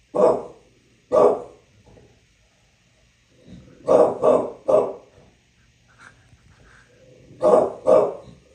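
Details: Bulldog barking in New York City: loud, hoarse, deep barks, first two single ones a second apart, then a triple burst, then a final pair, with quiet gaps between.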